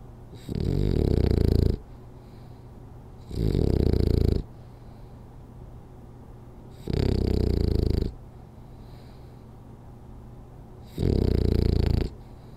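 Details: French Bulldog snoring through a power nap indoors: four loud, low, rasping snores, each about a second long, repeating every three to four seconds with quiet breathing gaps between.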